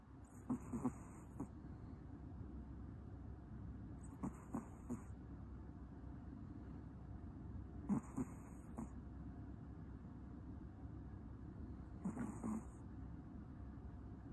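Soft, snuffly breaths from a sleeping Pomeranian come in a slow, steady rhythm, roughly every four seconds. A low, constant room hum runs underneath the faint breathing.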